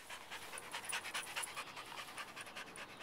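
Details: Rottweiler-shepherd mix dog panting hard outdoors in a yard on a warm 80-degree day after obedience play, rapid rhythmic breathy pants about two per second, steady and unbroken.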